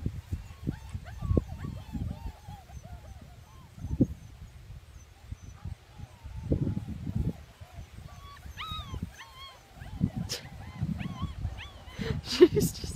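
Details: German Shepherd mother playing with her puppies: scattered short, high yips and thin whines, with a brief burst of sharper yelps midway, over low thumping and scuffling of movement; a person talks softly in the background.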